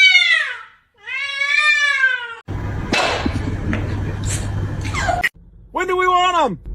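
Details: Pet cat in a humorous compilation, indoors, opening with two long descending meows, then a stretch of noisy chatter, and ending with a final arched meow over background hum.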